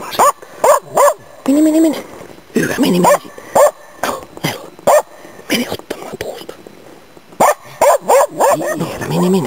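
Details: Autumn 2010 bird hunt in Inari, Finland, where the Norrbottenspets Nella bays at waterfowl and game birds: bursts of sharp, high barks and one longer drawn-out bark, repeated in quick clusters with brief silences.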